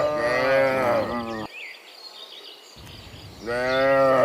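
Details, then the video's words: Herded cows returning from the fields to the pen in the afternoon; two long, loud, harmonic moos separated by a two-second pause filled with faint bird calls. "Herding Dozens of Moo Cows Walking Home from the Fields to the Pen in the Afternoon, Sound of Cows"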